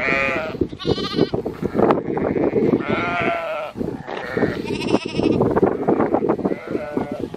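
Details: Herded sheep and two-week-old lambs moved by Border Collies and a Kelpie, several overlapping bleats, some high and quavering like lambs, over constant shuffling of the flock.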